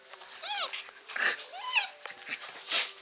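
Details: Puppies in a home with several dogs; three high, thin whines, each arching up and then falling, spaced about half a second apart, with soft household noise underneath.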